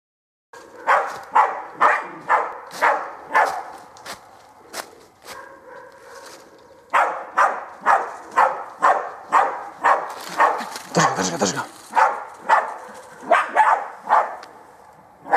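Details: German hunting terrier baying at wild boar during training: loud, harsh barks repeated about twice a second in steady runs, with a brief pause of softer, lower sounds midway before the barking resumes.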